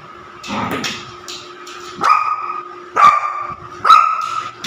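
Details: Pet Labrador puppy playing with odd objects: soft, breathy huffs, then three sharp, ringing barks about a second apart, each with a bright tonal edge, in a quiet indoor setting.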